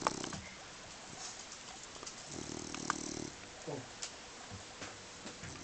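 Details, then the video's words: A sleeping dog snoring, sleeping like a rock: one rasping, pulsed low snore lasting about a second in the middle, with a brief snort at the start and faint rustles and clicks around it. "Snoring and sleeping like a rock"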